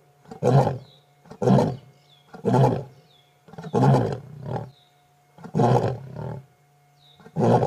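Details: Male lion of a four-male coalition, lying next to a safari vehicle during an August 2016 sunset drive: the closing series of deep, breathy grunting roars, roughly one per second, with a faint bird call and a steady low hum.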